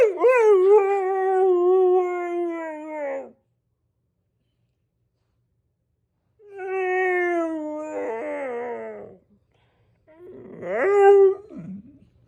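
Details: German Shepherd howling after hearing other dogs bark: a sustained howl of about three seconds sliding slightly downward, a pause, then a second wavering howl and a short rising yelp-like howl.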